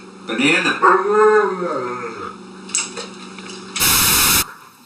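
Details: A dog gives a wavering, arched moan that swells and falls like talking, then short soft sounds and a sudden loud burst of noise near the end.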